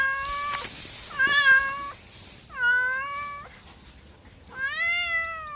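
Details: Repeated meows from a domestic cat: four plaintive, slightly rising cries of under a second each, spaced irregularly, clear against a quiet background.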